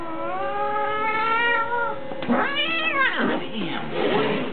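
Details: Angry long-haired domestic cat meowing while being shaved to remove fur mats; two long drawn-out wailing meows with stacked harmonics, the second rising then falling, followed by strained yowling; a man speaks nearby.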